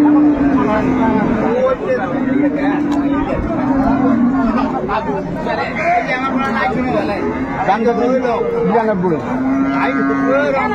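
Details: Dairy cows with calves at Ambari cattle market in Dinajpur on 22 April: repeated low, level moos every couple of seconds, some overlapping, under constant crowd chatter and bargaining voices.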